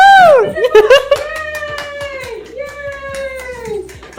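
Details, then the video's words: Female Siberian husky indoors "singing" on her birthday: a long, drawn-out sliding howl with a dip and a second rising-falling phrase over about four seconds, with a person's voice briefly at the start and end. "Funny & cute siberian husky SINGS"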